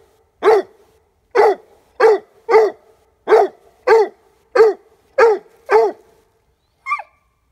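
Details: A 5-month-old Leopard Coonhound treeing on his first squirrel hide drag. Nine loud, deep barks come in a steady run about every half second to second, followed by a short, higher yelp. The background is otherwise quiet.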